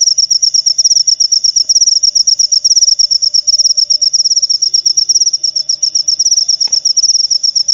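A cricket chirps steadily, a high, rapid pulsing trill that barely pauses.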